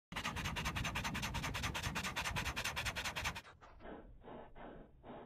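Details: Dog panting, shown in slow motion: steady rhythmic breathy pulses about two or three per second, bright and full-range at first, then turning softer and duller for the last two seconds.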